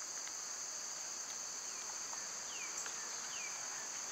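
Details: Steady shrill whine of cicadas on a summer day, constant in pitch and loudness, with faint descending bird chirps and occasional clicks in the background.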